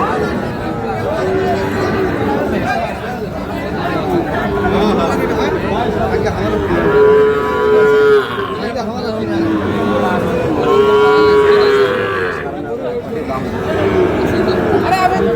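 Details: Sahiwal bull calves at a cattle market in Khochabari, Parbatipur, Dinajpur, on 10 April; two drawn-out, tonal lowing calls of about a second and a half each, surrounded by steady crowd chatter and people talking.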